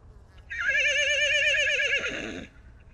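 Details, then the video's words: Quavering whinny from the Salt River wild horses in Arizona, where a baby horse was separated from his mother; taken with a long-range microphone. One loud, wavering two-second call with strong vibrato that breaks and fades at the end. "Salt River Wild Horses - The story of a baby horse separated from his mother"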